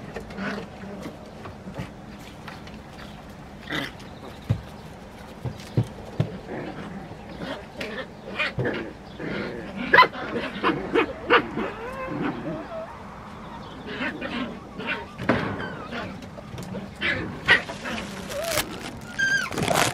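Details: San'in Shiba puppies play-fighting in a basement, the eldest female very excited; scattered low growls and sharp yelps between thumps and scraping, with thin squeaky whines near the end.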